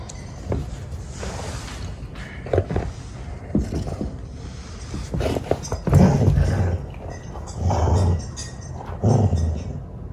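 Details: Treeing Walker Coonhound during hunting-style play, reacting very seriously; low, rough vocal bursts come in short clusters near the end, separated by quieter stretches of shuffling and background noise.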